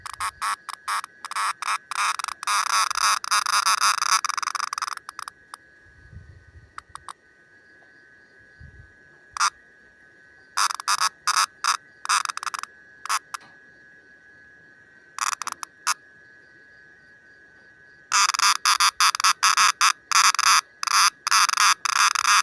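A green cicada calls in loud, rasping bursts made of rapid buzzy pulses. The bursts break off for a spell, leaving a steady thin hum and scattered clicks, then the harsh rattle resumes.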